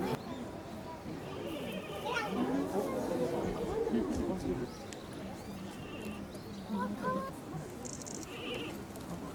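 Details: Giant panda Ri Ri at Ueno Zoo, Tokyo, on 7 November, calling while dashing and climbing a slope in the enclosure; wavering, goat-like bleating barks in short bursts, set against steady visitor chatter and children's voices.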